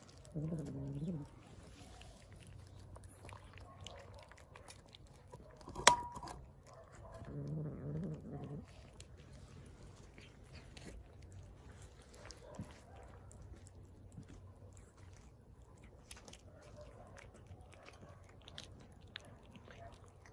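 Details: Hungry street cat eating and making noises at the same time: low, rough growling bursts near the start and again around seven to eight seconds, between soft chewing sounds and a sharp click near six seconds.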